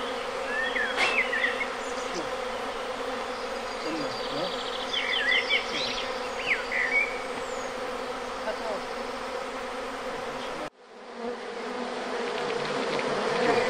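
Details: Honey bees, a natural swarm hived into a log hive of reed and wood at the Villa le Bosquet apiary school; dense buzzing hum under bright bird twitters, with a sudden cut before the drone returns.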